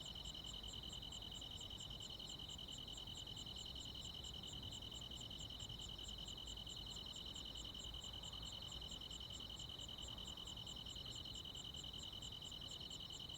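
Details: ['Crickets and other insects on a midsummer night in the countryside: a steady high ringing trill with regular sharper chirps pulsing about two to three times a second above it, over a soft low rumble.']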